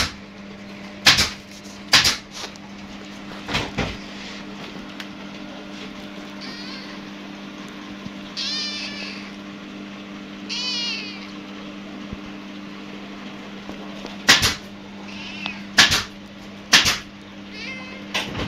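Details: A small kitten playing with its friend meows indoors: about five high, wavering, downward-bending meows spread through the middle and end, mixed with loud knocks and thumps of play and a steady low electrical hum.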